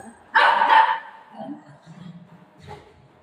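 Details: Golden retriever playing with its owner at home: a single loud broadband bark lasting about half a second, followed by quieter scattered low sounds and a faint voice.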